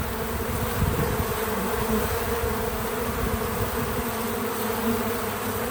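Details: Several bees working at a feeder give a continuous, even drone, a low buzzing hum with a brighter overtone layered above, unbroken throughout the short stretch and free of music or narration.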